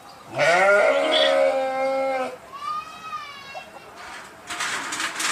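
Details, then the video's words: Loud sheep bleat lasting nearly two seconds, rich in harmonics and slightly falling at the start, followed by quieter, thinner bleats and a burst of noise at the end. "صوت الخروف | the sound of the sheep"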